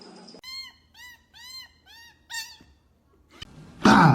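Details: Cat from a compilation of funny cats, described as fighting: five short, arched, high mews come about every half second, followed by a faint higher cry, a sharp knock, then a loud rough burst of noise.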